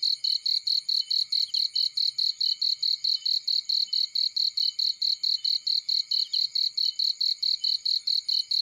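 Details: Field cricket sound: a continuous train of piercing, evenly spaced high pulses, roughly four each second, with faint scattered low crackles in the background.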